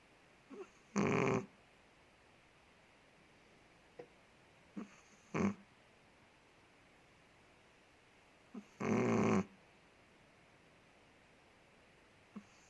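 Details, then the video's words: Ted, a big Chihuahua living in Indonesia, snoring while asleep: two loud rasping snores about eight seconds apart, each near half a second long, with faint soft breaths between them in a quiet room. "5 MINUTES DOG SNORES"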